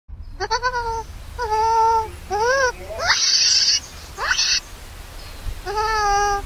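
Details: Newborn baby monkey left alone by its angry mother, crying loudly and hungry for milk: a run of wavering, tonal wails, some climbing steeply into harsh, shrill screeches, about six cries in quick succession over a steady background hiss.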